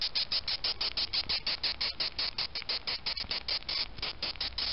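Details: Male death's-head hawkmoth, Acherontia atropos, handled and prodded by a finger, giving a rapid series of sharp, rasping squeaks, about three per second, fairly evenly spaced; no other sounds.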